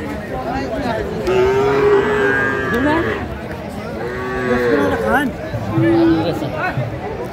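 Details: At a Faridpur market in Bangladesh on 11 March 2025, Sahiwal bull calves low in three separate bouts: a sustained moo, a shorter wavering one, then a brief final call, with voices and crowd bustle throughout.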